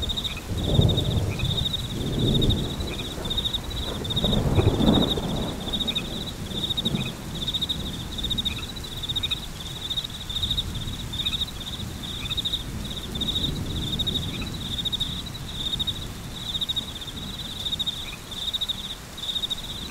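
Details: High, rapid cricket chirps run nonstop through a rainstorm, with thunder rumbling heavily in the opening seconds before easing into a steady shower.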